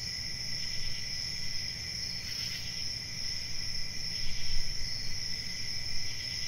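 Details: Nighttime cricket chorus: dense high-pitched trills hold steady throughout, with brief brighter pulses and a constant low murmur of ambient noise underneath.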